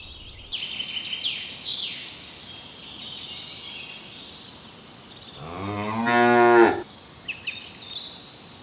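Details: Cows grazing in ripening rice fields give a single loud, harmonic moo of about a second and a half, rising and swelling before breaking off, over near-constant high chirping of small birds throughout.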